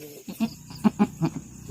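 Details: Farm doe goat straining to give birth in the evening, pushing while in labor; a run of short, low, harmonic grunting pulses, about five in under two seconds, with a faint voice in the background.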